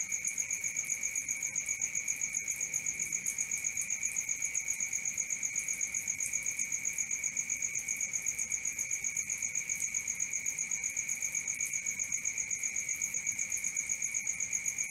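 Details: Crickets chirping at night in a dense, endless shrill drone, a high ringing trill over a lower steady tone, beating in fast regular pulses about four per second above faint background hiss.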